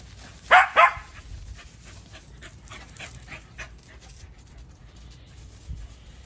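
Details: An Aussie-Corgi mix dog (Auggie), playing and chasing another dog in a backyard, gives two quick, sharp barks in a row, followed by soft panting breaths.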